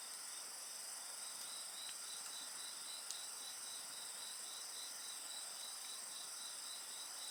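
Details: Insects singing beside a bonfire: a dense, steady high chorus with a fast pulsed trill and continuous shrill bands overhead, plus an occasional single crackle from the fire.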